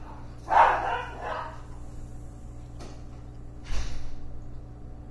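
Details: Beagle named Tebow barking while unable to find a squirrel: one loud, drawn-out bark at the start, a pause, then a second shorter bark near the end, with a faint steady low hum throughout.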